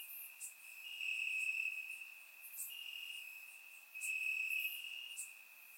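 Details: Crickets on a warm summer night in the grass of Bulgaria, recorded in surround sound: an unbroken piercing trill whose loudness rises and falls in waves, with scattered brighter chirps above it.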